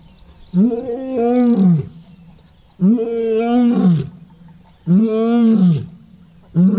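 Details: A male lion calls close by in the morning, deep moaning roars swelling and fading over about a second, repeated every two seconds, while heading toward other calling lions; impala alarm calling nearby; lion.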